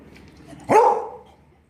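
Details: A Beagle gives one sharp, ringing bark on command during a barking lesson, being told to bark a set number of times; the bark falls off quickly into a brief tail.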